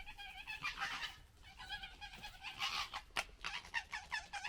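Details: Local red fox family gekkering and fighting in general disagreement: harsh, rasping chattering bursts with stacked harmonics, several overlapping squabbling calls across the clip, a sharp click near the end.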